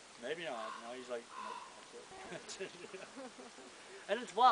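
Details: Wolves at the Northern Lights Wolf Center, Golden, British Columbia, Canada, howl together, with overlapping wavering howls and short yips rising and falling; they may be answering wild wolves up the valley.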